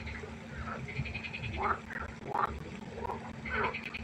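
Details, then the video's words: Frogs calling at night beside a pond, giving brief nasal, rising croaks spaced roughly every second, over a constant low background hum. "1 Stunde Froschkonzert. Frosch Geräusche quaken."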